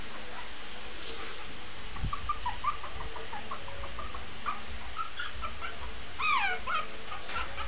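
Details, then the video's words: Shih Tzu puppy howling, a few faint wavering whine-like tones with a louder rising-then-falling howl near the end, over low background rumble. "howling cute shih tzu puppy"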